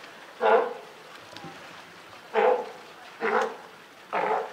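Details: California sea lion mother with her just-born pup at Higashiyama Zoo and Botanical Gardens, Japan, on 28 June 2023: four loud, hoarse barking calls, each about a quarter second long, spaced roughly one second apart over a faint background.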